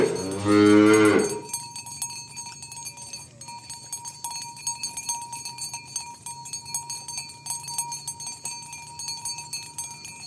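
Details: Tame village cows herded toward their pen in the morning; one short harmonic moo opens, then fades into a long stretch of ringing cowbells and soft footsteps with no further calling.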